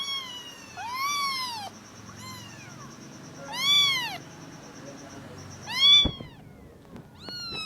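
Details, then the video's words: Kittens, adopted with their mother, giving sweet little noises: rising-then-falling high mews spaced a second or two apart, one louder cry near the end, a sharp knock, and a continuous faint tone. "kittens#cute#puspins little big noises"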